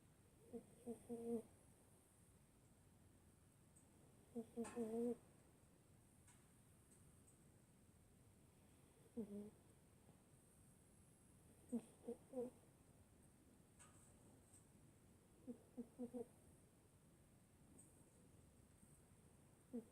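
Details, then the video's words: Boo, a 17-year-old female senior rescue dog, sleeping indoors and snoring: soft nasal, harmonic snores in short double puffs, recurring every three to four seconds over a quiet room hiss. "SNORING SENIOR RESCUE DOG"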